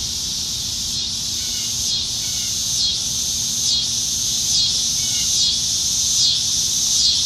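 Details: Summer-evening cicadas in Nebraska trees, July 2019: over a constant high drone, one loud insect pulses in rhythmic surges roughly once per second, each swell rising and cutting off, with faint bird chirps behind.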